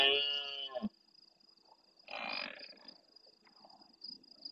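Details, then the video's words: Big red deer stag bellowing close by at the start of the night in the Doñana National Park marsh, Spain, replying to farther stags. A loud harmonic roar cuts off abruptly, followed by a hoarse, breathy burst. Crickets trill continuously. "Berrea nocturna en primer plano"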